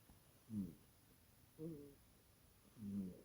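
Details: A small cat asleep and snoring loudly, three rough, low buzzing breaths about a second apart, the last one longest, against quiet room tone.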